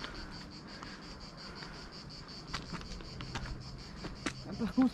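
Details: Cicadas sing a thin, high, steady pulsing buzz along a climbing hiking path by the Aveyron in Tarn-et-Garonne while camping, with rustling, footsteps and handling thumps close by, growing louder toward the end.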